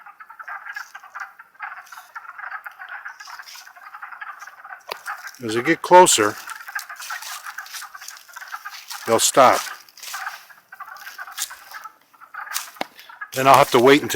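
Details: Wood frog chorus in Longkill Woods in spring, April 2014: a dense, steady band of overlapping clucking croaks runs throughout, broken several times by loud bursts of human voices.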